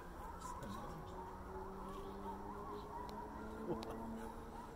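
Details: Coyote pups at Riverwood Conservancy on 20 June 2023 give distant, wavering, high yipping howls under a low steady hum and human voices.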